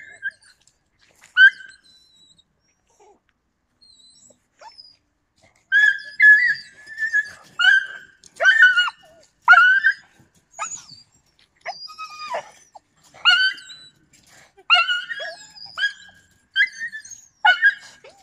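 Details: Yakutian Laika recorded in November 2020, giving a run of high, harmonic whining yelps that come in quick bursts after a quiet start, some sliding upward, with short gaps between clusters.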